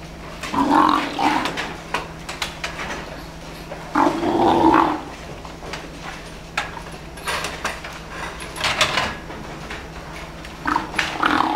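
A cow gives short, rough, nasal grunts in two bursts, a hungry sound, over knocking in the barn.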